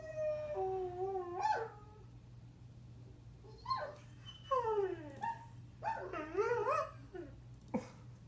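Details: Pet greyhound Kramer joins in with other howling dogs playing on videos, giving quieter, broken howls: short sliding notes and yelping glides in bursts separated by pauses, above a constant low electrical hum.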